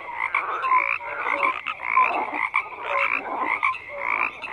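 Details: Frogs croaking in a dense chorus, overlapping rasping pulses banded around the middle register, with short tonal notes interleaved, steady throughout.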